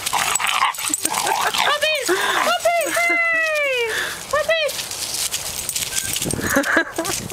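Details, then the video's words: Puppies play-fighting give a burst of high, arched yelps and whines, several in quick succession midway, each rising then falling, over a constant hiss, with a person talking and rough scuffling noises at the start and end. "puppy fight"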